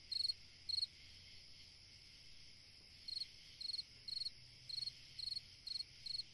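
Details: On a summer night a cricket gives two pulsed high chirps, pauses about two seconds, then chirps steadily about twice a second; a low faint hum and a constant soft hiss lie underneath.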